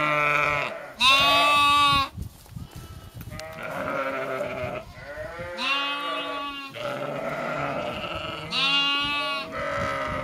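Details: Sheep in Skåne, Sweden, trading loud quavering bleats, some high and strained, others lower and hoarse, several lasting a second or more, calling back and forth with little gap between voices.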